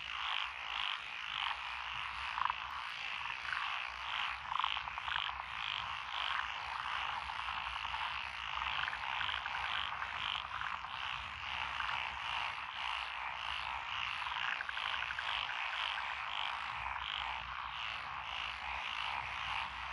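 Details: Frogs in lotus rice paddies beside a country road in Echizen, Fukui Prefecture, Japan, 12 June 2021; Japanese tree frog, black-spotted pond frog, wrinkled frog, Schlegel's green tree frog and forest green tree frog. A dense, unbroken chorus of rapid, pulsing croaks and trills fills the whole recording.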